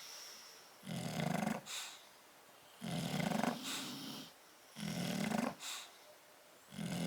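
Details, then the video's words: Two bulldogs asleep in a crate, heard snoring in loud, regular rasping breaths, each about a second long, repeating roughly every two seconds with short quiet gaps between. "Bulldog sleeping and snoring in crate"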